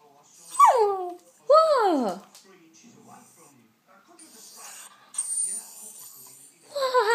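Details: Ruby, a King Charles spaniel, 'talking': two drawn-out whiny calls sliding sharply downward in pitch, then quieter murmuring and background noise, with another falling whine starting at the close.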